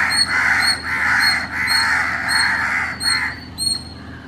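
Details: Early-morning call of an Indian palm squirrel recorded in Chennai, Tamil Nadu: bright, high chirps spaced about half a second apart, alongside drawn-out harsh, rasping calls.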